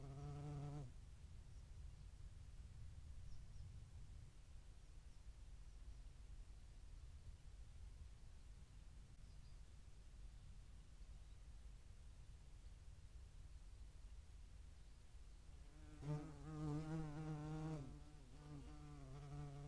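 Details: European hornets at a feeding site in Dohr, Eifel, on 11 July 2022, shared with median wasps; a low droning wing buzz with rich harmonics sounds briefly at the start and again for about two seconds near the end, with a quiet low rumble between.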